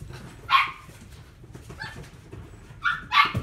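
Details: Chihuahua in a pet shop in Omihachiman, Japan, giving a loud, high yapping bark, a softer yip a little over a second later, then a quick double bark at the end. The barks are bright and short, with quiet room background.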